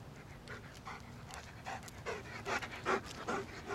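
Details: German Shepherd named Sam panting while finding his way around a fence; quick breathy bursts repeat about two to three times a second, steady and fairly even, with faint background noise.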